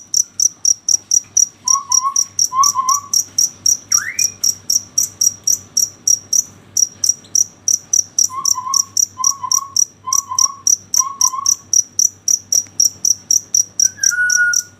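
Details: Cricket chirping at night: a steady train of high, sharp pulses repeated about four times a second, with short warbled calls of another animal near the middle and a brief whistle near the end.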